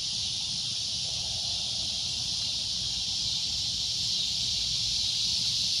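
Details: Cicada giving a loud, shrill drone: a steady, unbroken high buzz holding at one level throughout, with a faint low rumble beneath.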